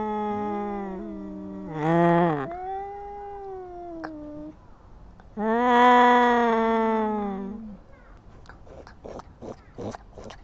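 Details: Kittens quarrelling, two loud rising yowling bursts with long harmonic tails, separated by quieter pauses, ending in a run of short clicks and scuffling noises.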